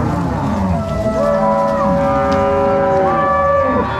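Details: Cross-bred Angus-Nelore cows, a herd driven by three cowboys and six dogs from the corral to pasture at Fazenda São Matheus, Ortigueira, Paraná, 16 March 2022; several long, drawn-out overlapping moos with bending tones, sounding almost continuously.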